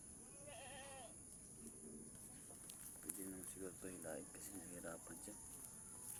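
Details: Mother goat having a hard delivery while a person helps pull her kid out; a short wavering, nasal bleat opens, then human talk takes over over a steady high hiss.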